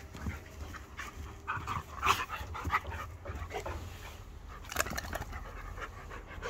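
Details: Two pet dogs, Archie the two-year-old Irish Setter and Hercules the five-year-old Border Collie cross, locked in a staredown; quick airy pants come in uneven bursts, with a few sharper breathy puffs near two and five seconds.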